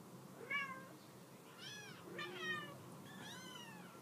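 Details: Mother cat calling to her kittens to get them off a couch, indoors; several short harmonic meows, some rising then falling, about four in four seconds, over a quiet room.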